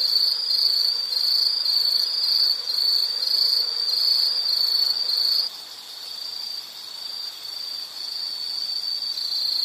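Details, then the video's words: Insect giving a continuous shrill pulsing trill, loud for the first five seconds, then dropping abruptly to a softer but unbroken level for the remainder. "Sound · Nature Sound of nature sounds scenery L · insect"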